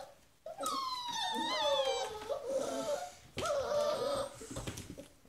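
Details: Puppies shut in a little box during morning pen cleaning, hungry and ready for breakfast, let out long wailing cries in two main bursts, wavering and falling in pitch, with brief quieter gaps and some rustling between.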